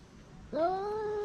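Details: Stray cat not wanting its food taken, starting a moaning grumble that swoops sharply upward at onset and then holds a steady tone.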